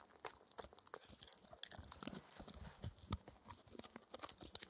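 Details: Spencer, a 4-month-old Shetland Sheepdog puppy, gnawing his daily dental treat, a raw air-dried ear, with quiet, irregular crunches, wet clicks and soft snaps coming in rapid bursts, close-up with no talking.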